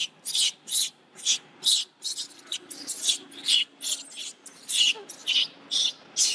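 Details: Monkey infant bitten by its mother screeches continuously, about a dozen piercing, noisy high cries in quick regular succession, nearly two per second, with a soft low drone underneath.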